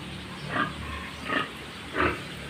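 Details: Short, low-bodied sow on a farm, judged for her ability to produce good piglets, gives three rough, breathy grunts spaced less than a second apart over a steady low background hum.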